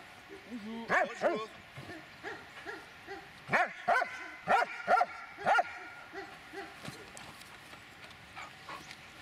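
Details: Dobermann, 8 years 6 months old, giving a series of short harmonic barks and yelps, several in quick pairs, spaced over a few seconds, with faint background noise.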